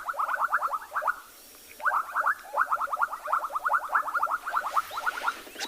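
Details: A dense frog chorus of rapid, pulsed, clicking bursts in the middle pitch range grows louder at sunset on 29 November near still water in Tswalu Kalahari Reserve, South Africa.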